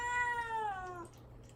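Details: Single sustained, slowly falling meow from Mamedaifuku, a cat caged and fasting before castration, pleading to be released; clear harmonic tone ending abruptly after one second.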